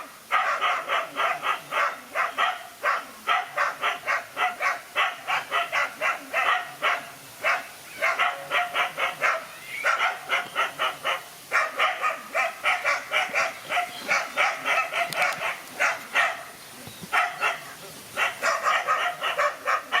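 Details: Dogs fighting, one dog alone against two males: nearly continuous volleys of sharp, rapid barks for twenty seconds, only brief gaps, with faint background noise.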